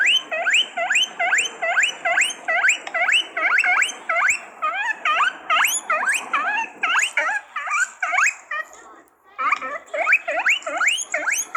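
A guinea pig gives rapid, high rising squeaks, repeated over and over in quick bursts.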